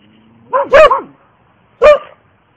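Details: Loud, harsh barks from a Border Collie, one of the sisters Hope and Helvy: a drawn-out double bark followed a second later by a single short, forceful one.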